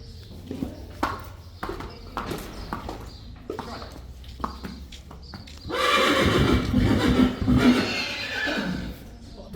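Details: Friesian horses, colts and fillies, taken out to pasture with Tjalle, a new companion; quiet Dutch talk and scattered hoof clicks give way to a loud, harsh, wavering neigh lasting about three seconds near the end.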